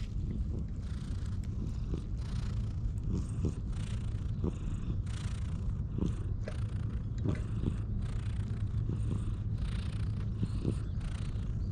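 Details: Stray cat, wary of people, purring while being won over and groomed with a cat brush, filmed on a GoPro HERO8; a steady low rumbling purr runs throughout, overlaid by regular rasping brush strokes roughly every half second to second.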